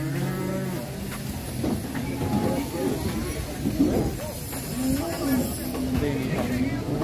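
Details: A black cow ahead of Idul Adha, likened to the giant Grandong, lows in long low drawn-out moos amid background noise and music.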